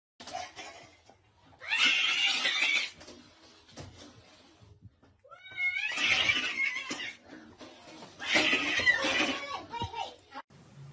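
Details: Domestic cat in a funny pet compilation, giving a few drawn-out, wavering meows that bend up and down in pitch, set between bursts of human voices and noisy indoor sounds.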